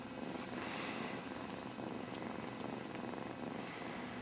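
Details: Two kittens, Casey and Sassy, wrestling with headlocks and kicks; continuous soft pulsing purr with light rustling of movement.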